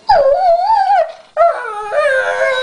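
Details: Crying over his guarded chew while another small dog keeps a piece, pet dog Sombra lets out a long wavering howl-like whine, then a second sustained moaning cry, loud and tonal.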